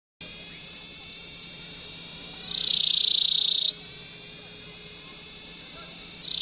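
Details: Cicada giving a loud, continuous high-pitched buzzing drone that holds steady, then briefly rises and shifts in tone for about a second before settling back to the same even whine.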